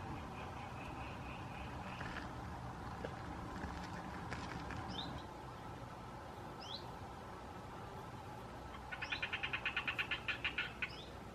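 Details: Common tree frog (Hyla arborea), immature and mature animals, Limburg, Belgium, 6 September 2016: after a quiet stretch, a fast rattling burst of about a dozen sharp pulses near the end, with thin high downslurred chirps and a steady background hum.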